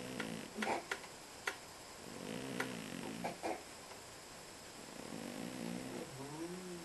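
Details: Soft snoring from a sleeping domestic cat in a small room: gentle, raspy inhalations repeating in slow cycles, interspersed with light clicking noises.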